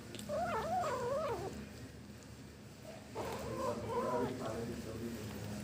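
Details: Kitten eating fish for the first time, making yum-yum sounds: two wavering, warbling murmurs, each about a second long and separated by a short pause, over a low steady indoor hum.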